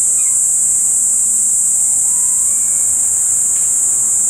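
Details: A well-camouflaged Kaempfer cicada in Tokyo in mid-July sings a steady, high-pitched hissing drone that never breaks, having just started calling again.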